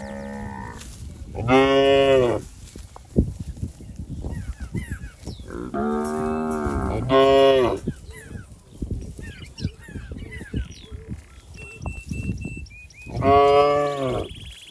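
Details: A calf seeks its mother among cattle in a wet rice field, mooing repeatedly: a short low call, then loud moos, some in close pairs, spread across the stretch. Scattered bird chirps and clicks fill the gaps.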